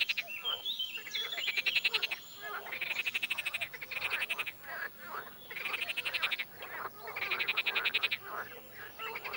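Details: Frog croaking, sometimes in chorus and sometimes alone: five bursts of fast, rattling pulsed croaks, each lasting about a second, separated by short quieter gaps.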